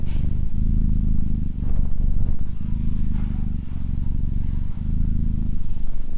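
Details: Purring cat, its low rumble clearly split into breath cycles roughly a second long, each swelling then dropping briefly before the next round starts.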